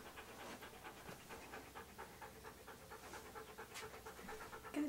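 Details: Key, a pet Siberian Husky dressed up for a photo session, pants in quick, soft, even breaths throughout, with faint murmuring voices and a brief clatter near the end.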